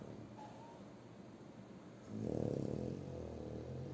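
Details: Shturm the French Bulldog snoring in his sleep: quiet breathing, then one loud rasping snore about a second long that fades into softer rumbling.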